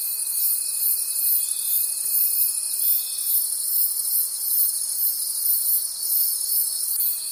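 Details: Forest crickets at night keep up a bright, high-pitched pulsing chorus; a thin steady tone beneath it fades out after three seconds and comes back near the close.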